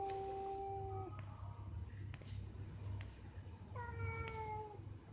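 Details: Mating cats in a tree, recorded 11 April 2021: two long, steady, tonal yowls, the first held about a second and dropping at the end, the second rising then held, over a constant low hum.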